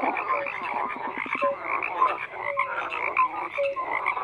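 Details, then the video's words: Overlapping frog croaks form a steady chorus, with short clicking pulse trains and several brief clear pips repeated at uneven intervals, roughly fifty per minute, over a constant murmur of further calling frogs. "FROGS CROAKING"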